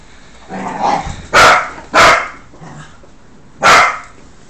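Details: A happy Cocker Spaniel puppy, newly out of a pet shop and settling into his new home with his brother, gives a soft, low grumble and then three sharp, bright barks.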